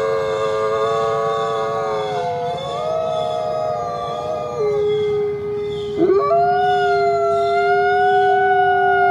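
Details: Coyotes give a chorus of drawn-out howls. Steady tones bend and shift pitch, and a sharp upward slide breaks in midway, over continuous low background noise.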